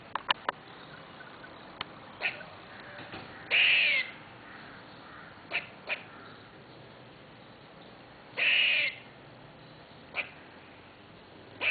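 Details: Squirrel in a tree outside a window calling repeatedly: two longer harsh rasping bursts several seconds apart, interspersed with brief sharp chips and clicks over faint background hiss.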